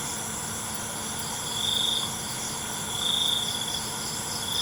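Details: Crickets calling after dark: two brief high trill bursts rise out of a steady insect drone, softer than the background hiss, with a faint low hum throughout.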